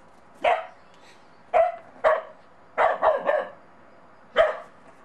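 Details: Monty, a Bedlington Terrier puppy out in the snow for the first time, barks at a child's little snowman: six sharp, loud barks, spaced unevenly about half a second to a second apart, with a quick double bark in the middle.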